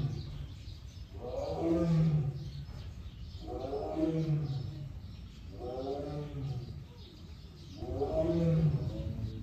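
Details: Captive male Siberian tiger, born 2013, at Seoul Grand Park zoo in Korea, filmed June 22 behind an iron door, gives four deep, rough roaring bursts about every two seconds, each swelling then fading, with quiet background.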